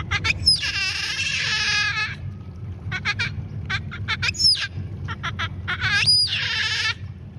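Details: Giant otters in the Pantanal, 2021, give loud, wavering, harmonic squeals and quick bursts of sharp chirps as an adult refuses to share a big fish with a youngster.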